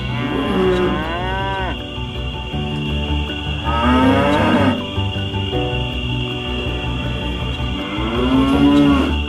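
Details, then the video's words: A farm cow lowing: three long, rich moos that rise and then fall in pitch arrive about every four seconds, over a steady droning background of music. "wild animal sound_cow"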